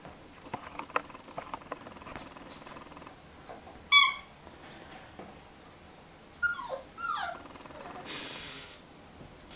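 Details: Nine-week-old male Jack Russell Terrier puppy named Fragolino, playing indoors with a ball and a squeaky toy: a sharp high squeak, then two short falling whimpering whines, amid soft pattering and handling noises in a small room.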